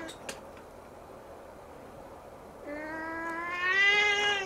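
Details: Siamese kitten staring at the ceiling: after a quiet start with small clicks, a single long meow begins and swells louder over nearly two seconds, holding a steady, gently rising pitch.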